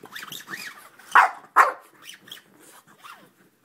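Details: A French Bulldog goes crazy attacking a lint roller, giving two sharp, loud barks among quicker, higher yips and whiny grumbles.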